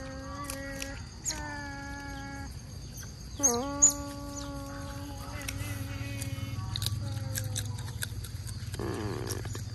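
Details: At mealtime, otters fed mullets near the mangroves give long level whistles and one sharp dipping squeal, followed by wavering cries, with a low steady hum and rustling underneath.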